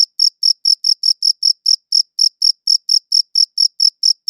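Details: Crickets chirping, taken with a good audio recorder; short shrill pulses come about four or five per second, slightly irregular in timing, with no other noise.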